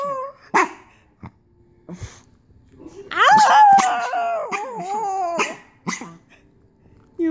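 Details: A sick dog attempting to bark gives a few short clipped sounds, then a strained, wavering, whine-like cry lasting about two seconds, followed by brief scattered noises and a last short cry.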